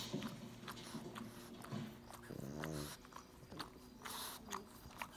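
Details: A pug showing affection toward its little brother gives a short, buzzy, low growl of about half a second midway, among chewing and mouthing sounds, sniffs and light knocks in a small room.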